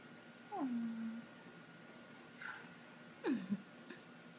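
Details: Kitten indoors giving a clear falling meow that drops and levels off, then a short faint chirp and a second sharply descending meow, with a woman's cooing voice nearby.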